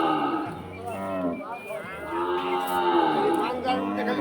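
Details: Cattle at the Batajor cattle market in Bhaluka, Mymensingh, Bangladesh, lowing in long, drawn-out moos with rich harmonics that bend slightly in pitch and overlap one another, with a faint murmur of market noise behind.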